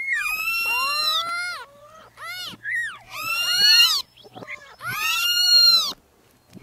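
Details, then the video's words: Newborn kittens meowing in overlapping, drawn-out high cries that bend down in pitch, broken by short choppy mews and a near-silent pause at the end. "Meowing Sound Compilation 2023 | Listen Cute Newborn Kittens"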